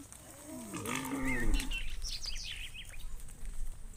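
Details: A cow being herded by shepherds toward the farm pen as the sun dips gives a deep, drawn-out moo that swells and then fades, with faint chirps behind it.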